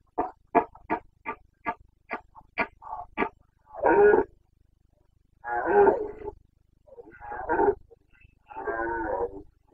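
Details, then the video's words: Carpathian stag in the Bucovina breeding season, September 2022: a quick string of eight short, clipped grunts, then four long, rough, drawn-out roars with gaps between them. The boncănit is the local name for this rut roaring. "Boncănit / Carpathian stag Breeding season"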